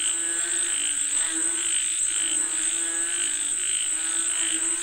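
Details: Rain-calling frogs croaking together, a steady pattern of short pulsed calls every half second or so, lower grating croaks beneath, and an unbroken high-pitched hum.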